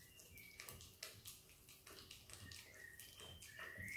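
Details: A happy Australian Kelpie x Border Collie puppy named Izzy eating peanut butter indoors. Her tongue makes wet lapping clicks and sticky smacks at an uneven pace, with faint high squeaky tones near the end.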